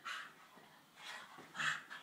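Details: Two Staffordshire Bull Terrier pups playing together; short whiny yelps come in four bursts about half a second apart, the last two close together, with faint rustling between them.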